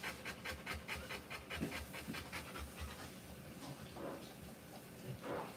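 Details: Rapid rhythmic panting from a Rottweiler during the live birth of her puppies, loud and regular at first and then fading into softer, irregular breaths indoors.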